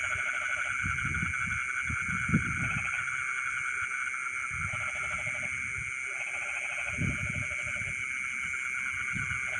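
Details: Rice-field frogs at midnight give clipped bursts of pulsed croaking under a steady insect drone, mixed with low dull thumps and rumbles close by.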